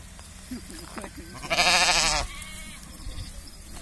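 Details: Sheep on a village farm giving one loud, wavering bleat with a shaky tremolo, lasting under a second after quieter background murmurs, with low rumbling noise throughout.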